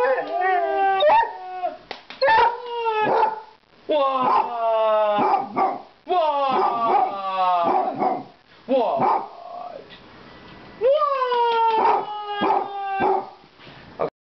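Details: A pet Basset Hound, a male, howls on a couch, baying in long, wavering notes that slide down and break into yelps.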